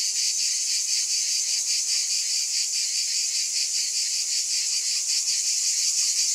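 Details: Massed cicadas keep up an intense, piercing buzz with a faint quick pulse, constant in volume across the whole stretch, with no other sounds.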